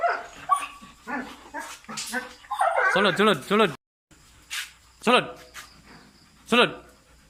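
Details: Belgian Malinois during basic command training, giving high, wavering whines and yelps in short bursts, with a man speaking and praising the dog between sounds.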